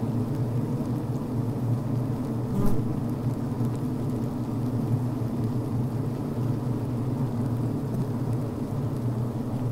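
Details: Honey bees inside a healthy hive on the brood frame, recorded within the hive: a steady low droning hum with layered bands, one brief sharp buzz near the middle, constant texture throughout.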